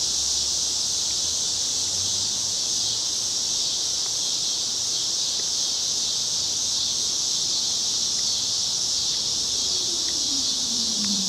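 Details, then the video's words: Chicago street cicadas at evening in August 2010 under cloudy skies: constant high electric buzzing, with faint ticks and, near the end, a low falling whine like a passing vehicle. "Chicago Summer 2010 Cicadas - Evening"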